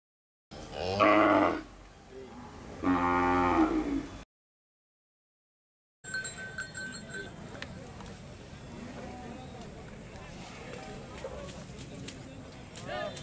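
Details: Hallikar oxen at the Badavanahalli cattle fair give two loud, deep, harmonic moos. The first is short and the second longer and drawn out. After a silent gap comes the low, steady murmur of the fair crowd.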